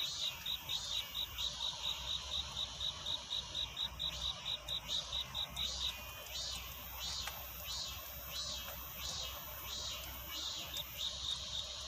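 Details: A cricket calls for a mate at night, before dawn: a run of regular, high, pulsed chirps for about six seconds, then fainter, amid a constant bright hiss and a few soft clicks.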